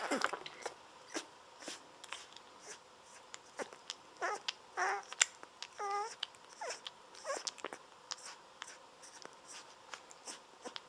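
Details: Bottle-fed Golden Retriever puppies at 17 days old, fed lying on their backs; steady sucking and smacking clicks, broken midway by a run of thin, wavering, guinea-pig-like squeals and short whines.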